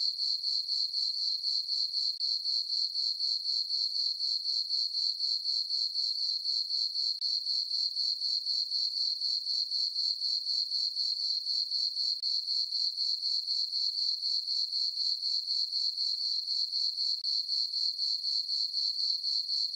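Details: Crickets of a moonlit summer meadow on a farm produce an unbroken, piercing chirp chorus, its high pulses ticking evenly near four per second with no birds, wind or voices.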